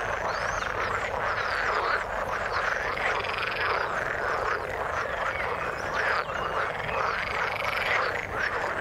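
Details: Many frogs in the water croak together in an unbroken chorus, rough pulsed notes layered thickly with a few faint higher sweeping tones above.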